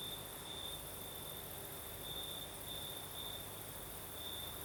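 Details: Night chorus of crickets in southern Crimea, breezy: an unbroken high-pitched chirring tone that swells in brighter pulses every second or so, layered over gentle wind hiss and a faint very high insect shimmer.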